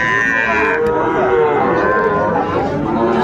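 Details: Sahiwal bull at Ambari cattle market in Netrokona, Bangladesh, 8 November 2024, giving a drawn-out, steady low moo that holds through most of the clip over a background murmur of market voices.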